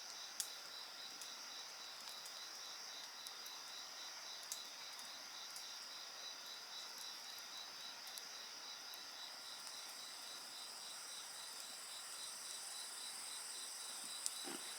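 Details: A continuous chorus of insects buzzing and trilling at high pitch, layered singers with a quick rhythmic pulse, joined by occasional soft pops of burning wood and a brief swoosh at the end.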